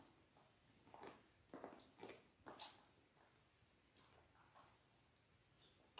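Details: Ten-day-old Labrador Retriever puppies, a litter of six born January 18, 2022, on an indoor puppy cam, give faint, short squeaky whimpers in a quick series over the first three seconds, then soft rustling and a few clicks.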